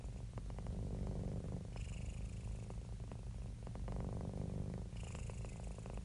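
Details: Relaxed, contented house cat purr, a continuous deep vibrating rumble with rapid regular pulses and soft breath-like surges at intervals.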